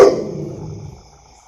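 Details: A pet dog in an Indian household, one of two, a Labrador Retriever and a German Shepherd, gives a single loud, deep bark that fades away over about a second, with a faint steady hum behind it.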